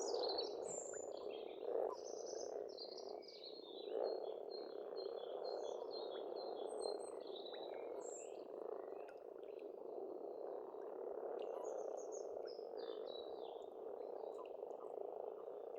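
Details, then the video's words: Frogs croaking in spring at a pond on an Estonian farmstead: a dense, continuous rattling chorus fills the low and middle range, while birds sing short high whistles and chirps above throughout. "Расслабляющее пение птиц и лягушек"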